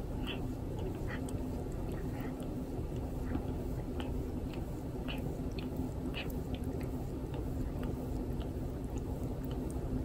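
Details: Indoors, Torapachi the cat keeps grooming its owner, and every lick comes through as a short rough rasp or wet smack, repeated several times a second in an irregular run over a low steady room hum.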